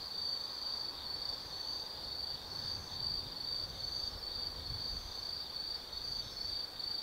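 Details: Autumn insects singing at night in Tsukimi no Mori forest, Kaizu, Gifu Prefecture, Japan, beside a lookout 180 m above the lit Nobi Plain: a steady high-pitched trilling chorus pulsing in short bursts about twice a second, with faint low rumble beneath.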